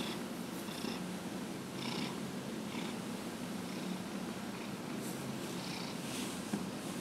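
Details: Continuous low purring from Dillard, a domestic cat aged 15 and a half, during a massage on January 31, 2018, with soft breathy swells roughly once a second and light rustling touches above the purr.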